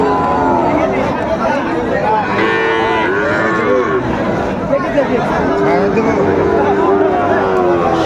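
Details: Sahiwal bull calf at Raniganj cattle market in Bogura, Bangladesh, on Monday 19 August 2024: drawn-out lowing moos rise and fall twice, with men's voices and steady crowd chatter all around.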